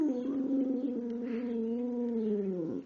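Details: Pet dog Precious, a chatty female filmed on 5/6/2011, sings on request: one long, even, harmonic howl sustained nearly three seconds, sagging slightly in pitch before breaking off abruptly at the end.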